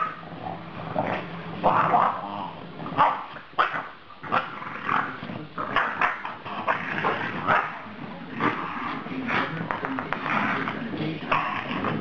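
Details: Female French Bulldog 'talking' loudly at the end of a day out with a pug. She gives a continuous run of grumbling, moaning barks and yowls, rising and falling in short bursts with barely a pause.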